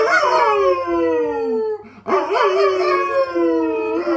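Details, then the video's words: A golden retriever howls twice in a row. Each is a long, drawn-out, tonal wail that slides slowly downward in pitch, with a short breath-like break between them and a wobbling start to the second howl. "My golden retriever howls"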